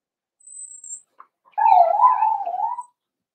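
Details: A wavering, drawn-out whine lasting over a second from a four-week-old Cavalier King Charles Spaniel puppy in a puppy pen, preceded by a faint high squeak, during a day of meeting other dogs and tasting puppy mash.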